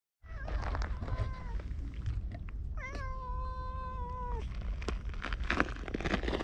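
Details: Orange tabby stray cat, petted briefly and then following as the person leaves, recorded on a GoPro: a faint early murmur, then one long steady drawn-out meow sliding slightly downward at the end, over low rumbling outdoor background noise.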